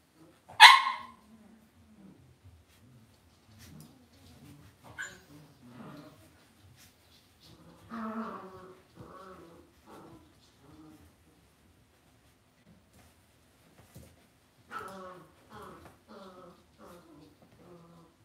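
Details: Cavalier King Charles Spaniel puppies being raised indoors in a home puppy pen: one sharp, loud bark early on, then clustered runs of short, tonal yips and whines in separate bursts, with quiet stretches between them.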